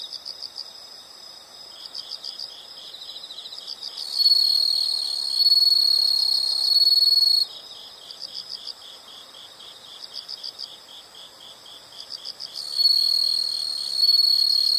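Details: Insects singing in a nature soundscape: soft pulsed high chirps at about four per second alternate with long loud shrill trills lasting several seconds each, three such bouts across the stretch.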